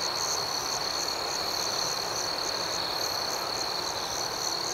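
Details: Nighttime cricket chorus outdoors, an unbroken high-pitched ringing with rhythmic pulses layered above, evenly loud throughout with no other clear sounds.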